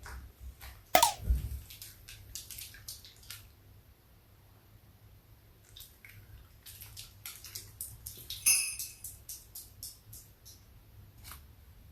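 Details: Quiet indoor room with scattered dripping and clicking sound effects, a low hum and soft music, and no animal voice.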